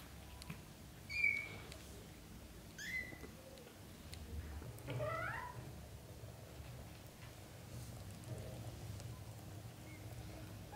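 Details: British Shorthair mother cat and her kittens indoors as the litter learns to walk on the floor; a couple of sharp high mews, then a lower, rising-and-falling meow near the middle, followed by quiet room noise.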